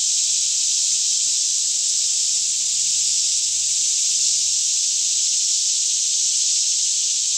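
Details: Many cicadas sing together in a Kentucky forest near Franklin at about 10am on a fairly calm morning; a constant bright hissing wall of sound, no breaks or pulses, faint low drone beneath, recorded with a Canon 5D Mk2 in stereo.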